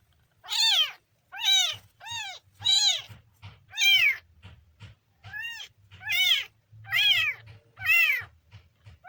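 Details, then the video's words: Kitten on its third day, giving a run of high, arched meows with strong harmonics, about eight calls spaced roughly every second, with short pauses between them; faint low rumble underneath. "kitten funny sound"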